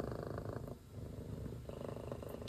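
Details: Cat watching birds and a squirrel gives a low, even purr that briefly dips and resumes, with a sharp knock at the very end.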